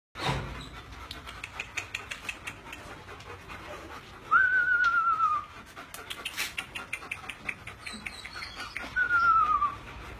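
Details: Male German Shepherd panting in quick, steady huffs, roughly three per second, with two brief thin whistled tones sliding slightly downward around the middle and end, over low room background.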